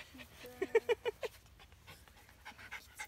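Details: Three Norwich Terrier puppies, four weeks old, recorded at Mouchnice on 25 August 2018: a quick run of five short, high yelping whimpers, followed by soft breathy panting and rustling.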